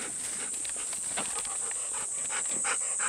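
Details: Golden Retriever panting in summer heat on a humid morning walk, with the dogs Bis and Kohaku: quick breathy puffs nearly three per second, fairly even, over a constant high whine in the background.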